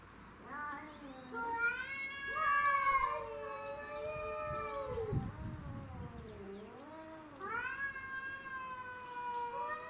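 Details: Domestic shorthair cats in a territorial fight between two house cats and a grey-and-white stray; long harmonic caterwauls, some steady and some sliding downward, overlap as several cats howl at once, with a brief scuffling rustle midway.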